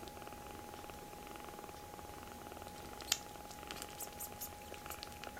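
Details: Rescued baby kittens in foster care crowd together onto a person's right hand indoors. A soft, steady purr throbs with fast, even pulses, broken by a few sharp clicks and rustles near the middle and end.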